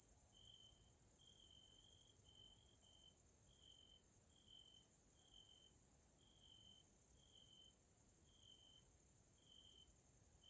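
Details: Evening grasshopper (Caelifera) chorus in a Hungarian nature area, Central Europe: an unbroken high shrill buzz with short, even, piping tones repeating a little more than once a second throughout.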